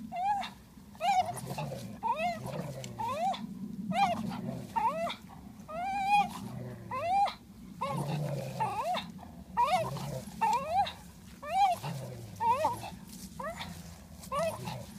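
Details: Parson Russell Terrier and Swiss mountain dog fighting over a ball: low rumbling growls alternate with high rising whines and yelps, repeated roughly once a second throughout.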